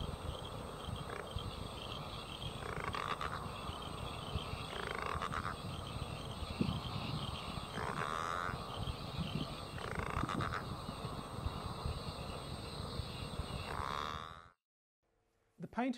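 Southern bell frog giving its mating call, a rough pulsed growl repeated every two to three seconds.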